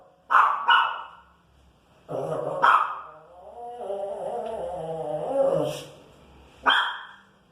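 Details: Female Pinscher annoyed by noise outside in the street, with short sharp yaps, a low rumbling growl-like stretch in the middle, then a final bark.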